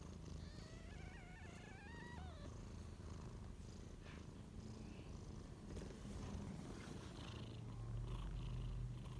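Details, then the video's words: Two-day-old kitten beside its mother, giving a few thin, wavering high mews early on, then a steady low purr and soft rustling fill the rest. "2 day old small kitten cute and adorable with his mom baby cat. Making noises."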